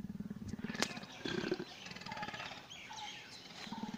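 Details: Indian leopard at Chhatbir Zoo: a low, rough rasping call of rapid pulses opens the recording and returns near the end, with thin bird chirps and faint human voices between the bursts.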